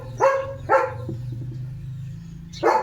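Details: Leo the German Shepherd, a household pet eager for his boiled egg breakfast: two clipped, high barks in quick succession, a gap with a faint low hum, then one more bark.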